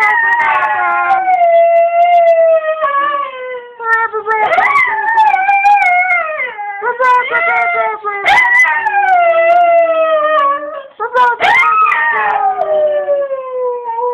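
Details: Pet Cocker Spaniel singing along with its owner, having learned to imitate them; long, loud, wavering howls with rich harmonics, sliding up and down in pitch, broken by brief breaths and a few sharper yips.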